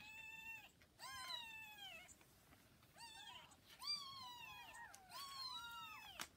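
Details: Kittens around 40 hours after birth, beside their mother cat, give loud, high, drawn-out mews in four bursts, each call an arched wail falling at its end, separated by short pauses.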